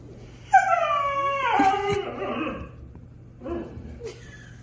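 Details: Husky and German Shepherd arguing with each other: long drawn whining and yowling calls with stacked harmonics, sliding downward over about two seconds, then a brief softer whimper near the end.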